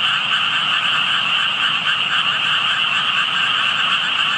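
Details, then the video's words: Frogs heard but not found, only tadpoles seen, during a walk past their water; continuous massed croaking with a rapid, uneven throb and a piercing upper buzz, no other sounds standing out. "개구리 소리"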